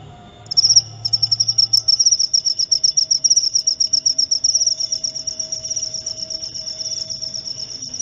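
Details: A cricket calls in a recording meant for sleep therapy and scaring off rats. The shrill high trill begins after half a second as distinct rapid pulses, then becomes a denser, softer, steady buzz.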